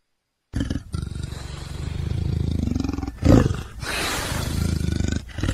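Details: A leopard gives a continuous low, grating growl with rapid pulses throughout. It swells into a louder rasping burst just past the middle, then settles back into steady rumbling.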